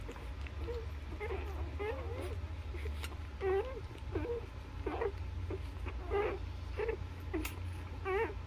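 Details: Newborn Labrador Retriever puppies nursing on their mother, giving a steady stream of short, high squeaks and wavering whimpers from several pups at once, with a low rumbling hum underneath.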